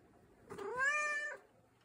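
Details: An affectionate American Shorthair cat, being greeted and held in the morning, gives a single clear, lively meow that rises and then levels off, lasting under a second.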